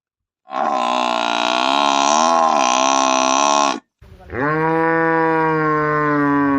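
A cow gives two long, loud moos, the first harsh and steady, the second rising then holding.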